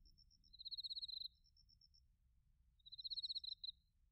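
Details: Autumn crickets, bell crickets among them, at Narita, Chiba, Japan, with a TASCAM Portacapture X8: two short shrill pulsed chirps, each about half a second, separated by a pause of nearly two seconds.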